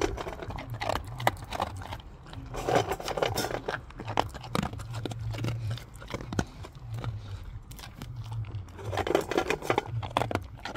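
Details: A pet dog named Gorlock The Destroyer chewing and crunching while eating, with rapid crackling bites and a low, wavering grunt that rises and falls in pitch throughout, recorded indoors in a small room.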